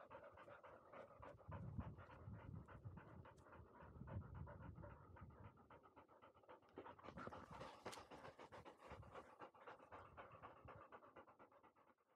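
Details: Field-line Labrador Retriever, 439 days old, after dashing up a slope; fast, steady panting at about four breaths per second, breathy and low, with a brief higher hiss partway through.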